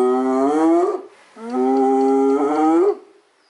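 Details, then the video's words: A hyena gives two drawn-out, tonal calls that swing upward in pitch at the end, sounding rather like cows. "Free Sounds: Hyena"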